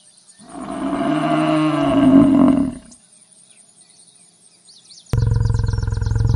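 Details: Bison giving a deep, rough roaring call lasting about two and a half seconds and swelling toward the end, then a short quiet gap and an abrupt burst of a steady low buzzing tone.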